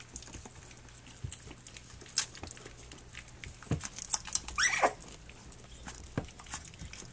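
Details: Three-week-old puppies of the dog Flute, nursing and playing on their three-week birthday: soft clicks and shuffling, then one bright descending squeal near the end, with a few fainter squeaks around it.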